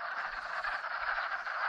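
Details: A dense chorus of wood frogs in spring, gathered in a pond for mating after migrating downhill, their clucking, duck-like chuckles overlapping into a continuous rattling din.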